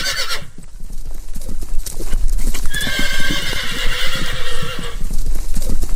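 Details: Hooves clop steadily while a horse lets out a loud, drawn-out shaky whinny of about two seconds with layered tones, followed by more hoof beats.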